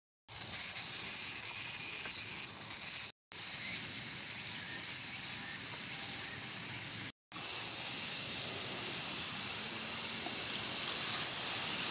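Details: Cicada caught and being eaten by a mantis in Showa Kinen Park, Tokyo, 2020, giving a loud continuous harsh high buzz, broken by two brief silent gaps.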